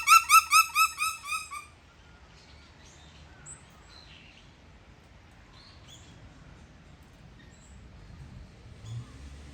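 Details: Bush dog in captivity at Zoorasia zoo, Yokohama, Japan, on 21 November 2022: opens with a quick run of about six loud, bright, harmonic squeals fading in strength, followed by quiet sparse high chirps over low background hum.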